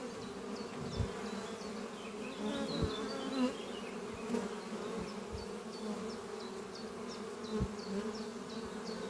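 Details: A spring morning outside the thriving horizontal beehive Doppio under trees, where honey bees fly in and out. A constant droning buzz holds beneath a bird's regularly repeated chirps and some soft knocks.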